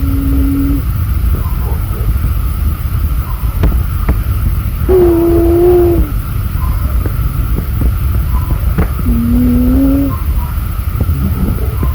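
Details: A constant engine-like rumble runs throughout, broken by a few short held tones and faint speech, with no animal sound heard.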